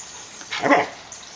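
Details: Samoyed named Suka, a pet dog, playing with children; a single short, harmonic bark or yip rising out of quiet background, followed by near silence.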